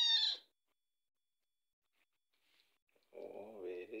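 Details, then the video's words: Small female Scottish Fold cat crying for food around breakfast time: one short, high-pitched, sharp meow, followed after a silence by a person speaking. "She is so small, always crying for food"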